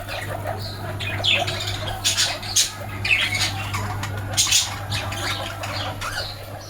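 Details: Baby guinea pig giving repeated short high squeaks and chirps in bursts, over a steady low hum.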